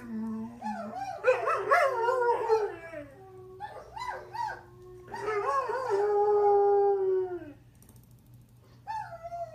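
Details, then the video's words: Greyhound named Kramer, a pet, howling in response to other howling dogs on videos: long, wavering, drawn-out howls that rise and fall in loud overlapping phrases, then fade to a short quieter note near the end, over a steady low hum. "Howling greyhound Kramer"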